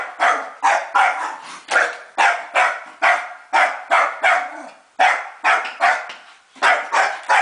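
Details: Scottish Terrier going after a vacuum cleaner, barking in steady, harsh volleys, short sharp barks often in pairs or triplets, with a few brief gaps.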